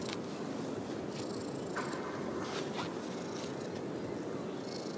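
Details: Stray orange tabby cat in a park parking lot, purring while being stroked, a low continuous rumble with a few faint high chirps and light outdoor noise.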